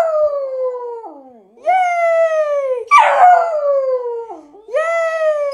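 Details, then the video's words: Puppy giving long falling howling yelps, each drawn-out cry sliding downward over about a second, repeated three times with a short harsh yip burst in the middle; no other sounds. "CUTE PUPPIES BARKING COMPILATION PART 1"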